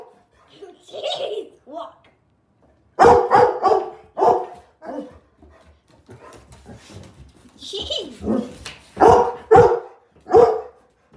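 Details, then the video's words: Labrador Retriever barking powerfully, deep barks in clustered volleys separated by quieter stretches of whining and a person's voice, as the dog is told about a five-minute walk. "Powerful labrador bark"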